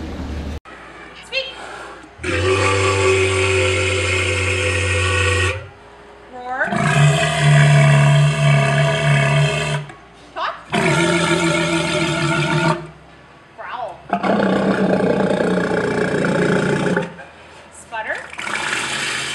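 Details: A male walrus gives loud, rich, buzzy, powerful whistles, each lasting a few seconds with short pauses between.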